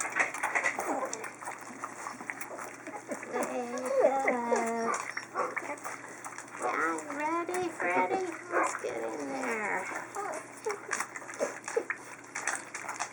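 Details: Chinook puppies of a litter at feeding time, crowding in to eat; a run of high, wavering whimpers and yelps with short harmonic whines in bursts, amid lapping, splashing and a person talking to them.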